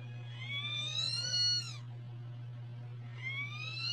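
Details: Domestic cat giving an angry meow: a long, high, slightly rising wail lasting under two seconds, a pause, then a second rising meow starting; steady low hum underneath.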